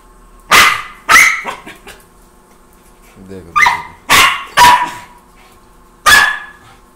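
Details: Tommy, a Pomeranian or Indian Spitz puppy at play, lets out two sharp barks, a brief low murmur, then a fast burst of three barks and one more after a pause.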